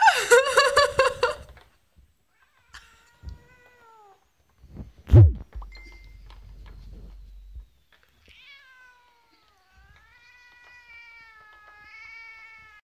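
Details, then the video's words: Leo, a pet cat, reacting to cat-shaped cookies indoors; a loud harsh wailing meow opens, followed by a thump and several long, drawn-out tonal meows with wavering pitch, the last one stretched and slowly rising. "Leo the cat sees cookies in cats shape"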